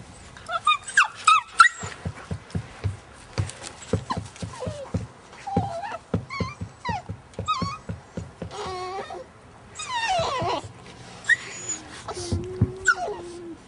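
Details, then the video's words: Two Alaskan Malamute puppies, one five and a half months and one nine weeks old, play fighting; quick runs of low grunting growls and yips, with higher whines and squeals, and a person speaking briefly. "Malamute Puppies play fighting"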